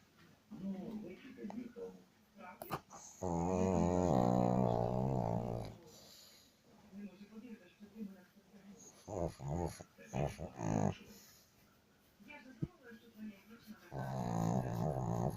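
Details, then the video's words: A dog snoring indoors in a small room, with long droning, harmonic rumbles of about two to three seconds, at the start and again near the end. Quieter snorts and murmurs fill the gaps, along with low background talking. "как собака храпит"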